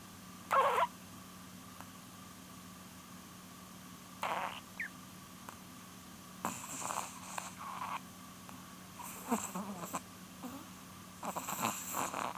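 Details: Polun, an almost twelve-year-old female Chihuahua, snores in her sleep indoors with a run of short, breathy, rattling snorts and exhalations coming in irregular bursts, a constant low hum underneath.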